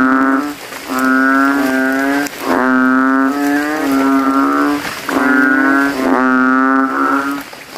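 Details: After rain at night, male banded bullfrogs inflate their balloon-like throats and give deep, drawn-out, cow-like moaning calls, rivals overlapping in a loud competing chorus around a puddle in a cemetery.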